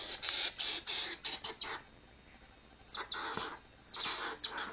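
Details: Upset pet squirrel, a female, throws a tantrum indoors: hissing, scratchy chatter bursts in a dense run, a pause, then two more sharp raspy outbursts.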